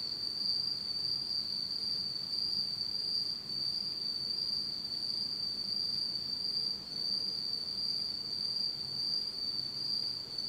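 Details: Nighttime autumn insects in Japan, total darkness: an unbroken high, thin trilling drone with scattered brief chirps just above it and a faint harmonic higher still, steady in volume.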